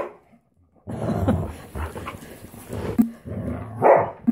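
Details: Standard Poodles, three breeding females and one named Onyx, playing indoors with puppies about; short gruff barks and low growly bursts repeat through the clip, mixed with a woman's speech.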